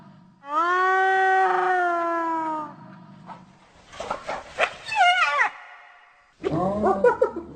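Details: Hyena call opening with a long, steady, low tonal note held for about two seconds, followed by rough, broken yelps and a final burst of wavering, cackling notes.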